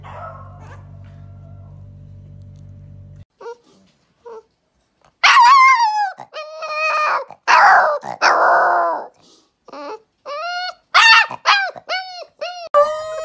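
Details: Young puppies trying to howl for the first time: after a quiet start, a mix of short yelps, a rough growly cry and then a series of brief wavering howls, repeated in quick succession.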